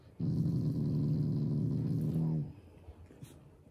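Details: Loving Shiba Inu family dog, growling out of affection rather than anger, produces one sustained, low, buzzing growl of about two seconds that slightly rises in pitch before fading out.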